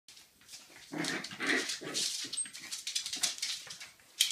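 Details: Jack Russell terrier puppy making a few short, low growly bursts midway, set against steady scratchy, rustling noise that builds toward the end.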